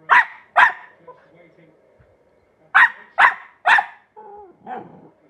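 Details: Young female Glen of Imaal terrier trying out her new-found bark, a pair of quick sharp barks, a pause, then three more in fast succession, ending in softer whining yelps.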